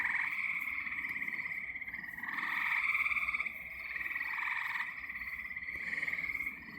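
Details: Loud frog chorus from a pond beside a stand of wild growth at twilight, a dense continuous trilling mass of many overlapping callers swelling and fading in waves across the clip.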